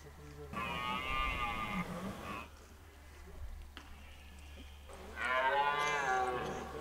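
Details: During the 2023 rut in Hoge Veluwe park, a red deer gives two hoarse, harmonic roars separated by a quieter pause, over a constant low background hum.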